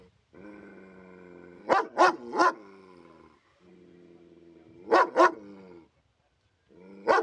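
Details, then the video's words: Dog in a warning, protective mood: sustained deep growls with clear harmonics, each rising into a quick series of two or three sharp barks, repeated twice before a final bark. "Real Dog Growling Sound Effects! Fierce Dog Growls & Scary Dog Sounds"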